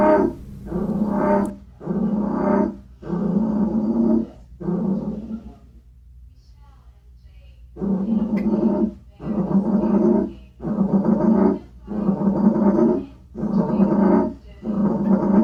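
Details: A captive American bullfrog (Lithobates catesbeianus) in a glass enclosure in an indoor reptile room, more vocal in mid-March as spring approaches, gives a series of deep, droning croaks, each about a second long.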